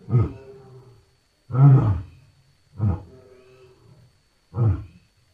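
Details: Lion giving four deep, hoarse grunts spaced about a second apart, each with a short trailing rumble.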